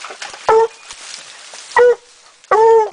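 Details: Coon-hunting dogs Rocky and Tonka in Idaho, 2011, in the middle of the day, working a tree: three loud, ringing, tonal barks spaced about a second apart over a low murmur of background sound.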